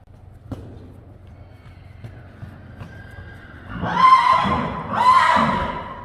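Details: Friesian horses in a stable at night: after a quiet stretch with faint knocks, two loud, rough, harmonic whinnies follow in close succession, each roughly a second long.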